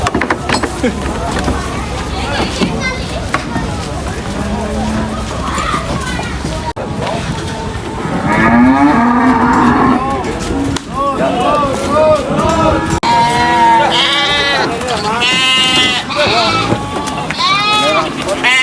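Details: Several cattle being unloaded from a truck at a market give deep, drawn-out, overlapping moos that rise and fall, some harsh and wavering, others bending upward into bawling tones, over clatter and human voices.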